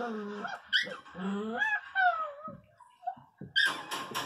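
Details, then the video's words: Angry pinscher puppy crying with drawn-out, wavering tonal whines that rise and fall, then a few sharp yaps at the end; human speech is faintly present. "Filhote de pinscher 0 bravo"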